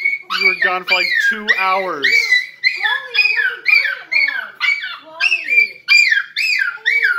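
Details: Male Miniature Schnauzer crying and whining happily while greeting an owner back after two hours away; high, wavering whimpers and yelps sliding up and down, tightly repeated with brief pauses, indoors.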